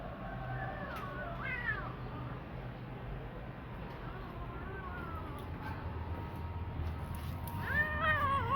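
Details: Kitten, formerly living on the street, giving several thin rising-falling meows, with a longer cluster near the end, over a low steady background hum.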